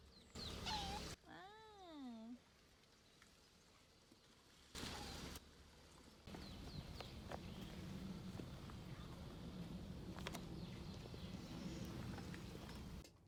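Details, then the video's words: Domestic cat nagging after its owner forgot a promise to play, filmed indoors in March 2022: one drawn-out wavering meow that rises and falls twice, then a short bump, followed by rustling and quiet room noise. "놀아준다는 약속을 잊어버리자 잔소리하는 고양이"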